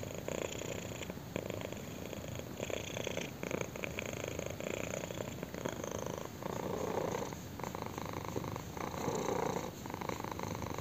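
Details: A contented kitten purrs as its chin is scratched, a thick vibrating drone that pulses with each breath and stays loud and even from start to finish in a quiet room.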